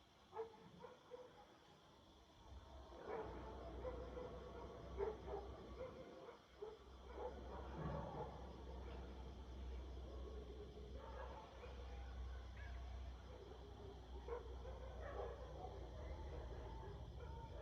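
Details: Distant dogs bark in scattered bursts over a steady low hum at night in a Nepalese village on January 31, 2023, where jackals also howl.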